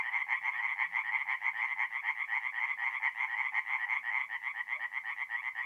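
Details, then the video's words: Forest pond chorus of tree frogs at night, mid-April, north-east Italy: fast pulsed croaking repeated roughly twice a second, many frogs calling together in an unbroken rattling band. "relaxing forest pond by night with singing tree frogs"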